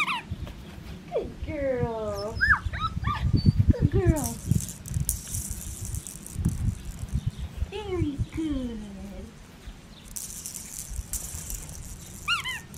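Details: Red tri female Australian Shepherd puppy on an Oklahoma breeding farm, doing sit, shake and roll-over tricks and wanting to be held. She gives high, falling whines in quick bursts under a woman's steady praise, with rattling handling noises.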